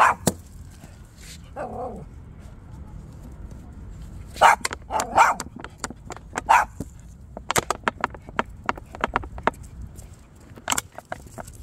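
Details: Maltipoo barking while out on a walk: a few short, sharp barks around the middle, a brief whiny note early on, and many scattered clicks and footstep-like knocks throughout.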